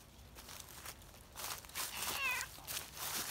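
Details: Outdoor community cat, a tortoiseshell seeking affection and kneading, lets out one brief, high, slightly wavering meow midway, surrounded by rustling and handling noises.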